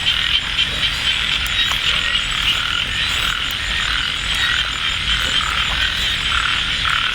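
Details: Frogs calling during light drizzle at Ban Na Suang, Det Udom district, Ubon Ratchathani, Thailand, at a nighttime frog hunt; a dense, steady high chorus of overlapping calls runs throughout, with faint rustling and movement nearby.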